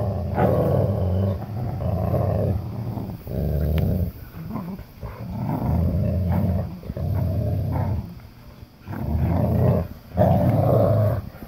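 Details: German Shepherd puppy and English Cream Golden Retriever growling during a tug of war; low rumbling growls in bursts of one to two seconds separated by short pauses, with shuffling between them.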